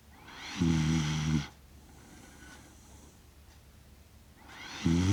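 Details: Sleeping Shiba Inu Kaki-Maru, aged six years and one month, recorded 30 September 2025 in Rotterdam on a DJI Mic Mini; two low rumbling snores about four seconds apart, with soft breathing between them.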